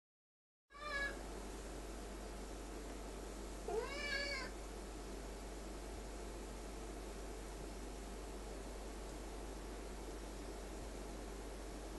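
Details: Male Ocicat indoors, chatting with his owner while warming his paws on file folders, two other cats nearby; a short high meow near the start and a longer rising-falling meow about three seconds later over steady room hum.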